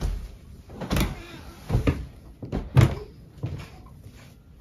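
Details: Irregular thuds and knocks, like a door or cupboard opening and closing, over low background noise, with no animal voice.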